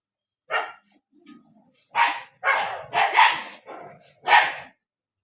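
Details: Several dogs barking during a fight in the rainy season: five harsh, broadband barks in separate bursts, some doubled, with short pauses and a faint low growl between them.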